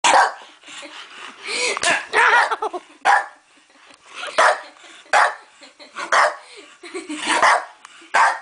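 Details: Bulldog barking at a sister who hit the owner, protecting the owner; short sharp barks come roughly once a second in the second half, after a stretch of excited human talk.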